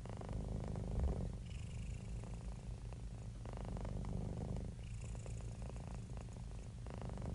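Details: Relaxed, happy house cat purring steadily, a low throbbing drone rising and falling with its breathing across several cycles, with a light airy hiss over the rumble.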